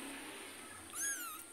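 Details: Domestic cat, a mother following her kitten after it was carried home and back to a neighbour's yard; one short, high meow, briefly rising then sliding down in pitch, near the end over a faint steady hiss.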